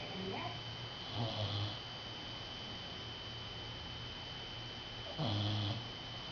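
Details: Rescued dog from Dead Dog Beach, Puerto Rico, sleeping indoors after a hard day of play and snoring like an old man: two low, rough snorts near the start and end, over a steady hum and a thin high whine.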